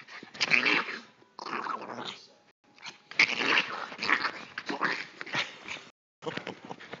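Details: Chihuahua in a play attack on a German Shepherd mix, said to sound like Donald Duck: near-continuous raspy, gargling growls and snarls in long rough bursts, broken by brief pauses, with scuffling indoors.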